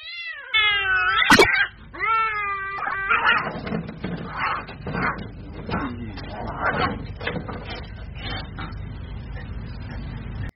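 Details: Street cats fighting: drawn-out wavering yowls in the opening seconds, then harsh noisy bursts of hissing and spitting repeated irregularly until the end.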